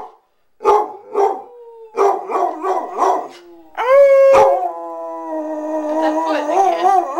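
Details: A pet Basset Hound howling: a few short barking yelps, then long sustained tonal howls that hold steady and waver slightly, rising into a drawn-out cry near the end; indoors with no other clear sounds.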